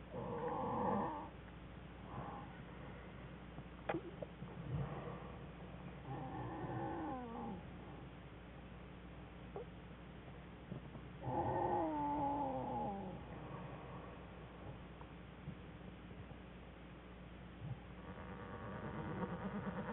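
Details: Cubs of the American black bear in a den with their mother on January 5, 2013; soft, scattered whimpers with a clearer falling, wavering whine in the middle, over a low background hum.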